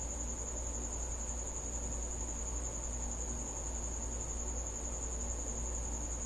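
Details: High steady trilling from a cricket that has come to a house after dark, one sustained piercing tone over low rumbling noise.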